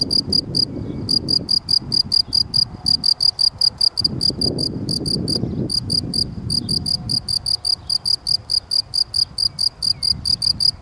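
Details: Gryllus campestris, the field cricket, calling steadily: rapid sequences of sharp, pulsed chirps repeating several times a second with occasional short gaps, over a faint low rumble.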